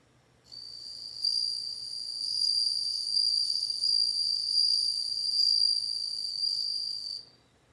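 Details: Bell cricket song: a sustained, pure high ringing trill with faint overtones, holding steady for about six and a half seconds with gentle swells in loudness, then stopping abruptly.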